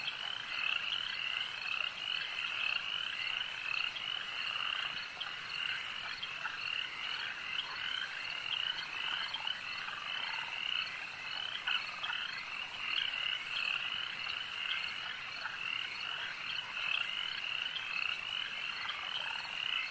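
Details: A lakeside frog chorus: many frogs croak together in an unbroken wall of shrill, rattling trills that swell and ebb slightly over twenty seconds.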